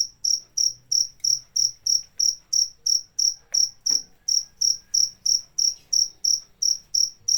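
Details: A cricket keeps up a regular run of shrill, pulsed chirps, roughly three each second and very even in rhythm, with a faint click partway through and otherwise a still background.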